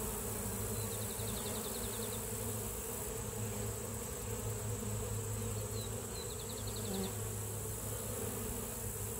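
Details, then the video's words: Honey bees at the hive giving a dense, even low hum with layered overtones, while a distant bird's quick high trills sound twice in the background. "Honey bee ASMR"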